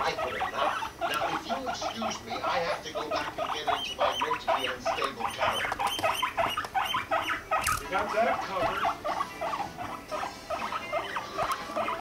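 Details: Two pet guinea pigs mating, Rumply with five-month-old Fluff: a continuous run of rapid pulsed rumbling and chattering bursts, closely spaced and fairly even, with a brief sharp click near the end.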